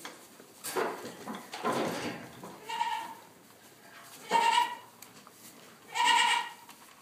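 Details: Newborn Boer goat kid bleating: three short, nasal, harmonic bleats spaced about one and a half seconds apart, the last two loudest, preceded by soft rustling and handling noises.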